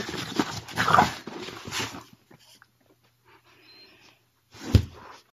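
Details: Boston Terrier and French Bulldog mix named Mochi play-fighting with Curro: two seconds of raspy, harmonic growling, then near silence with faint rustles and one sharp thump near the end.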